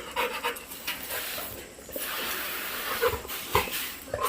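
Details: Labrador dog named Golden, a pet playing all day, panting in quick breathy bursts with short gaps and a quieter stretch in the middle, indoors.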